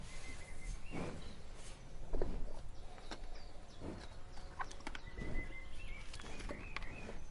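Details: Cow (Bos taurus), lowing and snorts.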